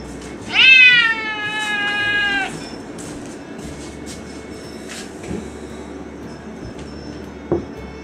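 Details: Stray cat waiting alone for food by the sea on a windy evening as darkness falls, giving one long, loud, harmonic-rich meow lasting about two seconds, level then slightly falling, followed by faint background noise and a brief knock.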